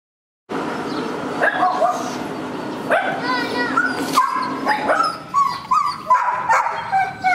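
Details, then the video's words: Several Afghan Hounds at home just before leaving for a dog show, giving excited high yelps and whining barks that overlap irregularly, with people talking throughout. "The Afghan Hounds"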